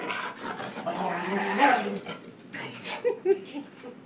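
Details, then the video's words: Angry pet dog that doesn't like to be pushed around, giving low harmonic growls and whining moans that rise and fall over about four seconds, overlapped by a person talking nearby indoors. "Angry dog"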